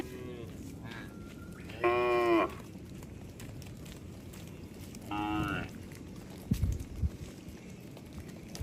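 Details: A herd of cattle roaming along a road. Two separate half-second moos, several seconds apart, with faint knocks and road hum in the background.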